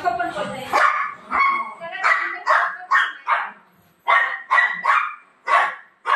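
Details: Golden retriever dog playing with its owner at night before sleep, giving short, sharp barks and yips in quick bursts, several in a row, mixed with a person talking.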